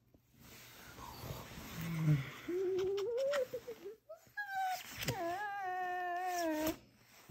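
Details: Vizsla puppy, described as noisy, gives quiet, drawn-out whines. A wavering tone rises slightly and is followed by a longer, steadier, clearer whine. There is faint background hiss and a brief knock.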